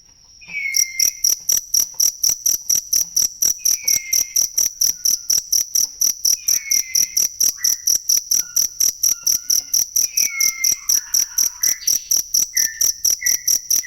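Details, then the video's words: Cricket call meant for songbird training: after a moment of near quiet, shrill chirps start and repeat rapidly and evenly, with faint falling whistles and soft chirrups scattered in the background. "ASLI SUARA JANGKRIK BUAT MASTERAN BURUNG"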